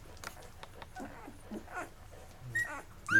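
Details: Mocha's eleven-day-old Labrador Retriever puppies eating and crawling off to sleep; soft scattered squeaks and short whimpers, ending in a sharper rising whine, with faint background music and rustling.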